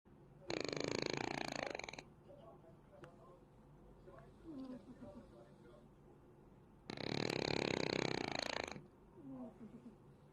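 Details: Cat snoring: two long, loud, rough rasping breaths about six seconds apart, each lasting nearly two seconds, with softer wheezy breathing and faint clicks in between.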